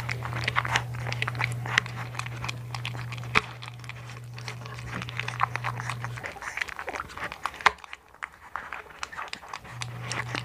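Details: Hunter, a blue one-month-old American Bully puppy from the Philippines, chewing food indoors: rapid crunchy bites and wet smacking, a couple of sharp clacks, over a steady low electrical hum that cuts out midway and returns at the end.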